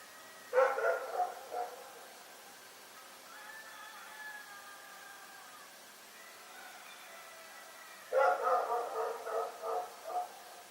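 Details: Rex the dog barking in the night: a burst of four or five rapid barks, a quiet gap with faint droning tones, then another run of about six quick barks.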